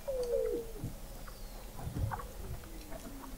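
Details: Weddell seal beneath Antarctic sea ice at McMurdo Sound, November 2017, recorded 21 m under the ice: one clear, slightly falling whistle opens, followed by faint low pulses and a soft descending tone later.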